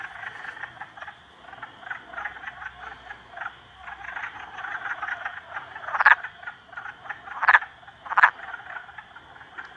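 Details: Three frogs bullying a salamander. Steady, grating croaks keep up a busy background chorus, broken by three loud, abrupt croaks spaced about a second apart toward the end.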